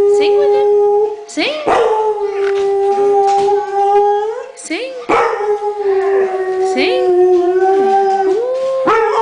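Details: Alaskan Malamute from a pack of six howling along as its owner urges it to sing; steady drawn-out tones with rich harmonics, broken by brief gaps and sliding rises, with a person's encouraging voice in between.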